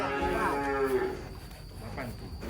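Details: Giant cattle agitated while being unloaded from a truck during a pen move. A short, strongly harmonic moo of about one second, lowering at the end, is followed by quieter background noise and a faint hum.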